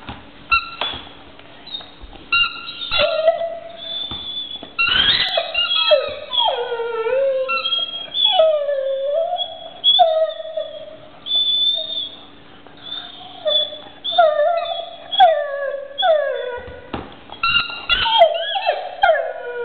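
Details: Pet dog howling and whimpering around a toy, with many short rising-and-falling tonal yelps and wavering cries in quick succession, some brief louder clicks between them.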